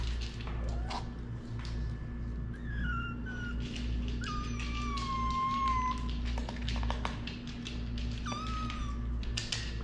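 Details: Domestic cat in a household cat family with a Shirazi male, a rescued stray female and three newborn kittens; thin, high mews slide downward, one long drawn-out call then a shorter one, over a steady low hum and soft knocks.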